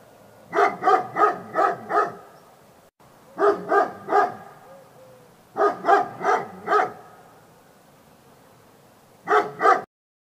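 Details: Labrador retriever barking in quick bursts of four to five sharp, harmonic barks. Three bursts are separated by short pauses, and a brief final pair ends the stretch. Faint background hum runs between the bursts.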